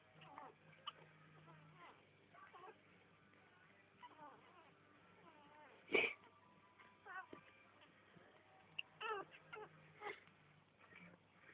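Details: A litter of kittens at five days old gives scattered, brief, high-pitched mews with little bends in pitch, separated by quiet shuffling and a couple of sharper bumps.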